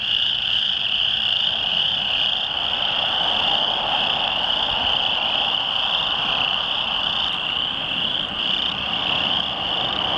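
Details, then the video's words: Rain pond near Lethbridge's Oldman River full of chorus frogs calling loudly on June 22, 2013. An unbroken, shrill trilling chorus continues throughout with almost no background noise. "Loud Chorus Frogs"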